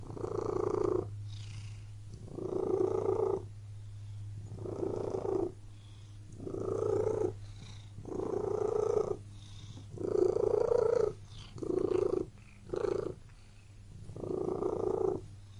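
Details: Cat purring in a steady rhythm, about eight throaty pulses, one every one to two seconds, with a constant low drone beneath the breaths.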